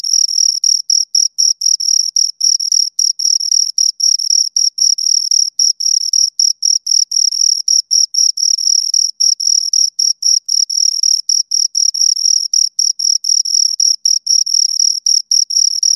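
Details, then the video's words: Two crickets calling right by the ear: rapid, evenly spaced high chirps, around four bursts a second, shrill and metallic, sustained throughout with nothing else audible. "Two Crickets Chirp Sounds for Two Hours Right on Your Ears"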